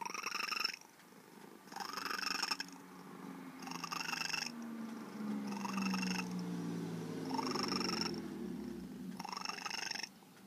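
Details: Bird-like chirps and trills from a once truly feral female cat now bonded with her caregiver: bright rising bursts every two seconds or so, with a low droning sweep beneath the middle calls.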